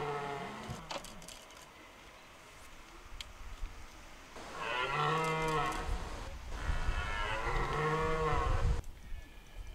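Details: Red deer stag roaring during the rut in De Hoge Veluwe park, Netherlands: two long, deep, harmonic-rich bellows, each lasting over a second, after a quiet stretch with faint background rumble.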